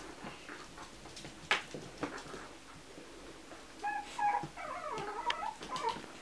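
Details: Chihuahua puppies at a kennel, indoors in a small room; thin, high, wavering whimpers come in quick bursts through the second half, preceded by a sharp click and soft rustling.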